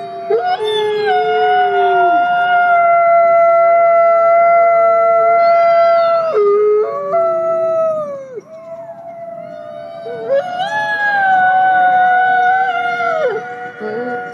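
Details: Wolf pack in a forest howling as a means of communication: overlapping drawn-out howls at different pitches, some sliding down at their ends, rising and fading in waves with short pauses between bouts.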